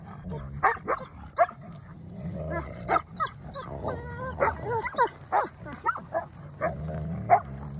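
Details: Wolfdog puppies Silas and Bear squabbling over something both want, showing teeth and dominance; rough snarls and growls with bursts of yelping, whining cries, repeated in quick clusters over a steady low rumble.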